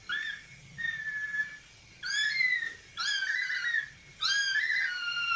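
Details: Kittens at play give a series of high, drawn-out mews, each about a second long with a slight rise then level fall, repeated roughly every second with short quiet gaps between.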